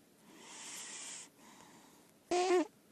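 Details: Female lilac point Siamese, an indoor-only cat, snoring in her sleep: a soft breathy rasp, a pause, then a short louder snore with a wavering nasal whistle on top.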